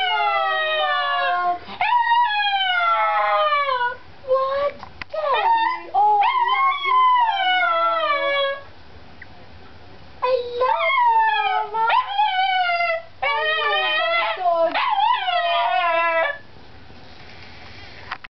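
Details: Pet Chihuahua howling indoors in repeated bursts of wavering, downward-sliding wails with short yips between, pausing several times before starting again, over a faint low electrical hum.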